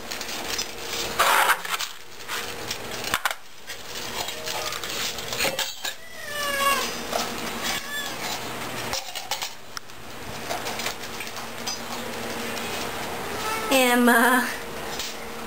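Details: Shelter cats on a weight-loss diet during feeding at The Hermitage Cat Shelter: a few wavering meows scattered among clattering dishes and handling noise, with one louder cry near the end.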